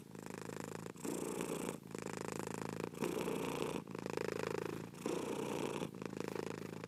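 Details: Domestic cat purring steadily in long rumbling phases, each lasting about a second, separated by brief breathing pauses; close and continuous with no other sounds.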